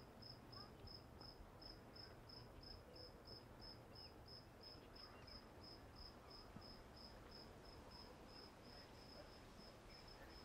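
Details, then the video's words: At Walden Pond a cricket keeps up a shrill, regular pulsed chirp, close to three beats per second and unbroken for the whole stretch, against quiet low rumble and rustle. "Listen to Crickets at Walden Pond"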